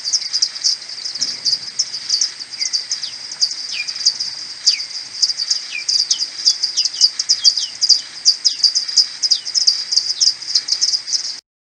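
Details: Maternity colony of common pipistrelles back at the roost in the morning, 21 May, captured on an Audiomoth 1.1 at tenfold slowed speed. Crowded ticking pulses carry many falling social-call swoops, quickening toward the end before an abrupt stop.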